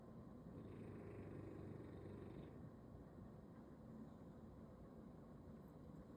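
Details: A sleeping bulldog lying on its back on a Sunday, its snoring a soft, low, rough rumble. It is somewhat stronger in the opening seconds, then settles into quieter, even breaths.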